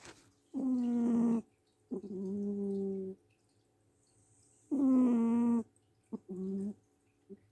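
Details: Cat snoring very loudly in its sleep, indoors. Loud buzzy, harmonic breaths come in pairs, a higher drone then a lower one, each about a second long, with the cycle repeating roughly every four seconds.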